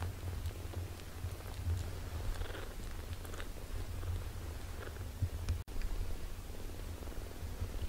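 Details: British Shorthair kittens, 17 days old, indoors: a steady, low, rumbling purr runs throughout with rhythmic pulses, plus faint soft rustles and one brief click near the end.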